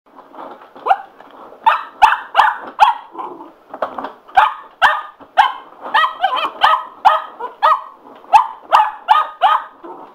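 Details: Sugar, a pet Cocker Spaniel, indoors and going a little nuts over a spin mop: a run of sharp, bright barks, some in quick pairs, with a few clicks and knocks from the mop between them.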